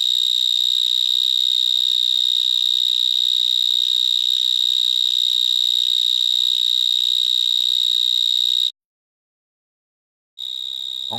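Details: Vineyard mole cricket song from a Gironde vineyard just after sunset, 22 March 2019: a harsh, sustained high trill heard up to 200 m away, cut off by a short silent gap before resuming.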